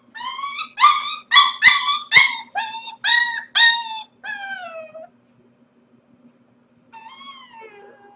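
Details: Corgi puppy left by itself during its owners' workday, streamed 4/21: a rapid series of strong, harmonic yelps and whimpers about two per second, ending in a falling whine, silence, then a thin high wavering whimper.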